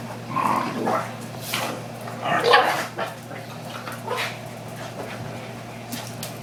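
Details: Two young pet dogs boxing in play fighting indoors, a pug mix and a five-month-old pitbull/ridgeback mix: short yipping barks and growly bursts come in scattered clusters over a steady low electrical hum.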